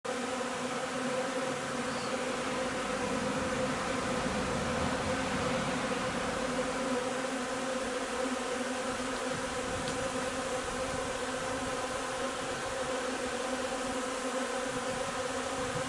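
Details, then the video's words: Honey bee hive during linden nectar collection on 3 June: a steady, dense humming drone with layered tones, continuous throughout without pause, plus a brief faint tick near ten seconds. "alveare api durante la raccolta del nettare miele di tiglio"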